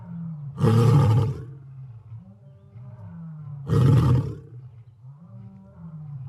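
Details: A lion gives two harsh, throaty roars about three seconds apart, each lasting under a second, with a continuous deep humming rumble filling the gaps.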